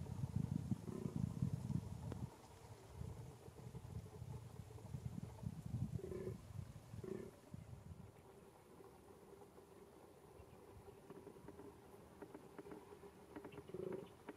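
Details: Rutting fallow deer in a small enclosure in Bohemian Paradise, Czech Republic, 2021: deep rumbling groans pulse quickly for about two seconds, followed by softer scattered grunts amid low background noise.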